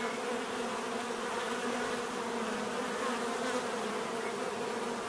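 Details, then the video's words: Constant, even drone of numerous bees, a thick buzzing hum that holds level throughout without pauses. "bees therapy relaxing natural buzzing sound"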